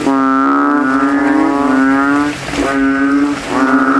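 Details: Night chorus of banded bullfrogs in a rain-filled puddle at a cemetery, males competing to be loudest; a long resonant bass drone over two seconds, then a short break and another drawn-out note.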